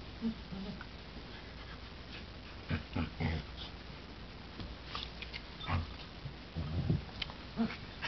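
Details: Ember, a black border collie and golden retriever mix, roughhousing with Henry, a 9-week-old golden retriever puppy; scattered short gruff growls and barky bursts rise and fall irregularly over a low steady background hum.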